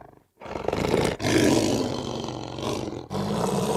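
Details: Lion letting out a continuous, harsh, rasping roar for more than three seconds, broken only by brief dips, dense and loud from deep growl to hissing breath.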